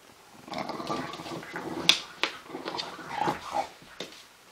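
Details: An English Bulldog mother playing with her puppy on a play mat gives low, rough growls and snuffling snorts, broken by a few sharp clicks.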